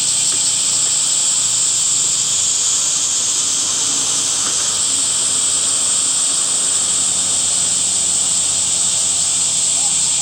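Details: Summer cicada chorus: a steady, hissing high-pitched buzz that holds unbroken throughout, slightly shimmering, with only faint low background murmur beneath.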